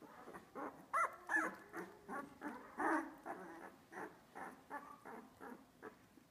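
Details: Olive's Australian Labradoodle puppies, two weeks old, at Pine State Australian Labradoodles: a steady run of short nasal whimpers and squeals, roughly two or three per second, some rising to thin high squeaks.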